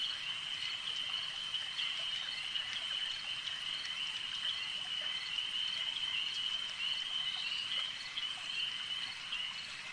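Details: Frogs calling at a lake: a dense, unbroken high trilling chorus holding steady throughout, with fainter overtones above and below and a soft hiss of background noise.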